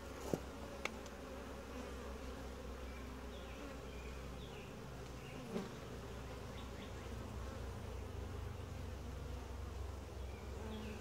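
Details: Steady, deep buzzing hum from a calm, gentle honey bee colony as its hive is opened for a typical inspection, with a few sharp knocks near the start and the middle.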